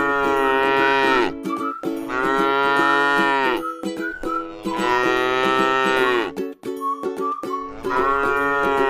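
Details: Cow, tame and feeding on grass in a rice field, utters four full, harmonic moos, each lasting one to one and a half seconds, spaced by short pauses with faint higher tonal sounds.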